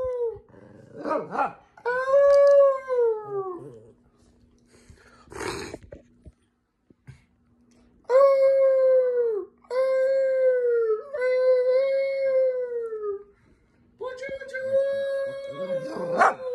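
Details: Aunt's Chihuahuas howl in a string of clear arched wails, each about a second long and repeated after short gaps, with a few sharp barks and a whimper early on, in a quiet indoor setting.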